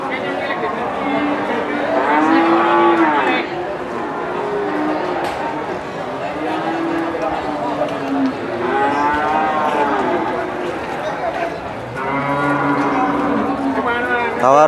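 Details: Big Limousin cattle at Kunden livestock market, Wirosari, Central Java, Indonesia, give repeated deep, rich moos, several swelling and falling over a few seconds each, amid continuous human chatter and market noise.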